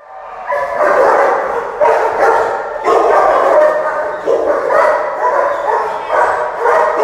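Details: Dominant, aggressive Mastiff undergoing rehabilitation training, barking in loud harmonic bursts that come roughly every second, each a rough, voiced bark running steadily through the seven seconds.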